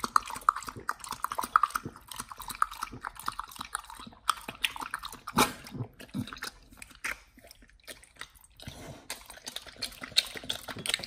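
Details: A Pit Bull called nomyen gnaws a raw whole Thai duck, its first such meal: loud sharp crunches and bone cracks in clusters, separated by brief quiet pauses, plus wet lip smacking.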